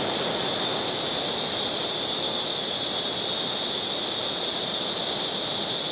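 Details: A steady, high, sizzling cicada chorus fills the background, loud and unchanging, with a faint extra whine appearing near the end at the very top of the range.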